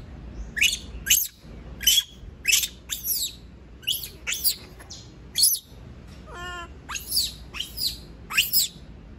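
A monkey gives shrill, sharply sweeping screams in quick bursts, protesting at being left alone.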